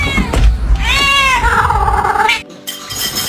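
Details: A pet cat gives one drawn-out, rising then falling meow lasting about a second and a half, in a playful domestic cat compilation; a man's voice, background music and household noise surround it.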